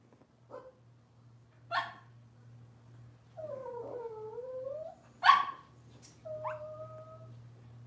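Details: Whimpering Cavalier King Charles Spaniel puppies of Robin's litter, indoors: short high yips mixed with longer wavering whines that rise and fall, over a steady low electrical hum.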